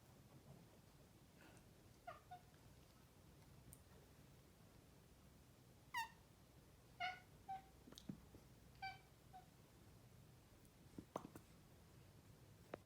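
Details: A chatty male Maine Coon chirps at its owners with short, bright, rising trill-like notes repeated at irregular intervals.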